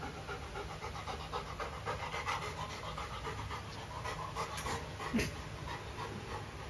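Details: Golden retriever Luna with a new carabao horn chew toy, panting steadily in quick, breathy bursts throughout, with one sharp knock near the end.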